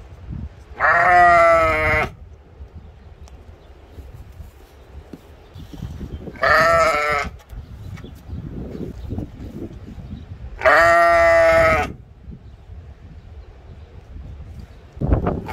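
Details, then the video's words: Sheep ram at a mini zoo in Ventspils, Latvia, April 2021, bleating three times, each drawn-out wavering baa lasting about a second and spaced roughly five seconds apart, over soft background murmur and shuffling. "Funny Sheep Ram BAAING"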